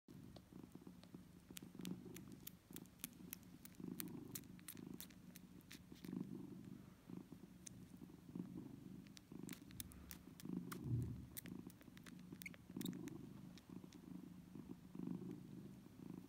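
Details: Domestic cat family indoors, a mother cat nursing her kittens: a steady low rumbling purr swelling and fading with each breath, scattered with sharp clicking ticks from the suckling throughout.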